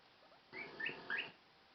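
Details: A guinea pig gives a very short, brief burst of high, squeaky chirps, a stress call signalling that it is stressed.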